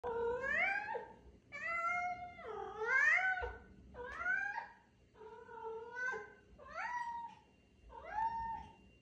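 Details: Siberian cat singing to tell its owner it is time for a walk: seven drawn-out, wavering meows, each rising then sliding down in pitch, about a second long and spaced roughly every 1.3 seconds, in a quiet indoor room.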